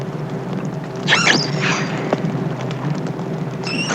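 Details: An isolated young female dolphin calls at night, recorded about 4 miles from a research ship: brief, high tonal whistles that sweep and waver over a steady background hiss and hum.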